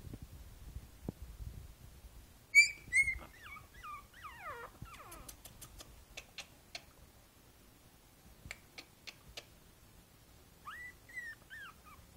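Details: Boston Terrier puppy Princess Izzy, five weeks old and sitting in a basket on 12/4/2011, lets out a sharp high squeal and a few descending whimpers. A quiet stretch of soft ticks follows, and then two more short whines.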